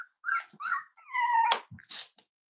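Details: Five-week-old Cavalier King Charles Spaniel puppy from Myra and Remy's litter, indoors during weight checks on a chilly Thursday morning. A few short whines lead into a longer, steady, high whine, with a woman's soft reassuring voice nearby.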